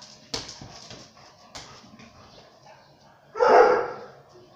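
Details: Tchory, a Labrador Retriever, playing ball on 03/08/2021: one short, sharp bark near the end, preceded by a few soft knocks and clicks in an otherwise quiet setting.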